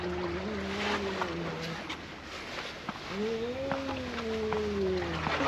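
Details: Black cat that was being bullied after being called out behind an embankment, then rescued; two long, low, wavering yowls, the first about a second and a half, the second longer and rising then falling, over steady background noise.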